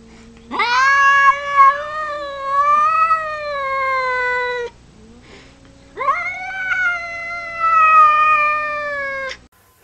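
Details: Cat giving two long drawn-out meows, each about four seconds, rising at the start then holding a steady wailing tone before falling away, separated by a short pause with faint background noise.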